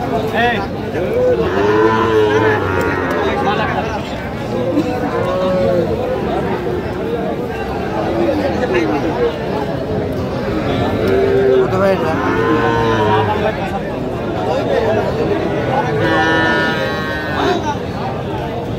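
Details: Sahiwal bull calf at a cattle market in Sirajganj, Bangladesh, August 5, giving several drawn-out moos with clear harmonic bands amid constant crowd chatter and nearby speech.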